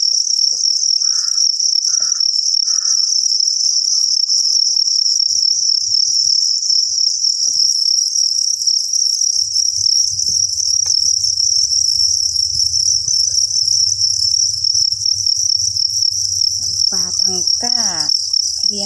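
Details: Copper crickets chirp in a steady, high, shrill trill that runs without a break.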